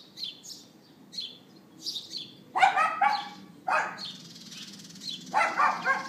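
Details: A neighbour's dog yapping on April 18th 2012 at 11:31 AM, captured on an iPhone 4S: three sharp, harsh barks in quick succession over the second half, with high bird chirps twittering throughout.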